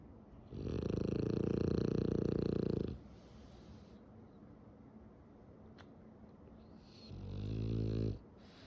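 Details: Female French Bulldog asleep with eyes open, snoring: a long rasping snore of about two seconds, a quiet pause, then a shorter throaty snore.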